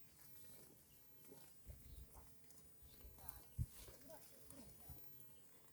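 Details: Herd of cows eating green grass on the side of a road; low, irregular tearing and chewing bursts, a sharp thump near the middle, faint hiss in the background.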